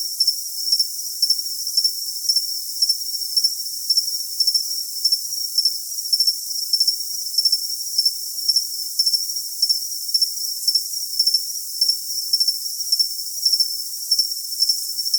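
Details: Rapid cricket chirping for tinnitus masking: short, bright pulses repeat about twice a second in a steady rhythm. A constant thin, high trill runs under them, and no other sounds are heard.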